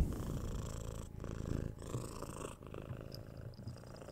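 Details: A six-month-old kitten being cuddled and scratched on the head, heard through a 3Dio binaural mic; a low, steady purring rumble with short breath gaps, plus faint scratching and a few soft clicking sounds near the end.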